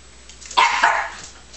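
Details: Scottish Terrier puppy letting out a single sharp, high bark that breaks into a second quick yelp and trails off. The room is otherwise quiet.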